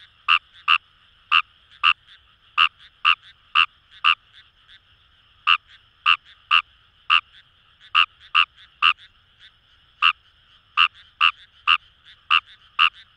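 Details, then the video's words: Fejervarya kawamurai in Itoshima's Kamo River paddies, Fukuoka, Japan, delivering clipped croaks in quick pairs and clusters separated by brief gaps, set against a soft continuous chorus of other frogs. "Wild Frog Call | ヌマガエル"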